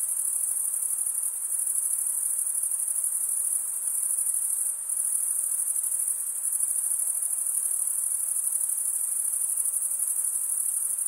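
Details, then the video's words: Crickets, males stridulating by rubbing one wing along the toothed vein of the other, form a dense, unbroken high-pitched shimmer with a steady trill and no gaps, and no other sounds are heard. "Most relaxing cricket sound for 8 hours"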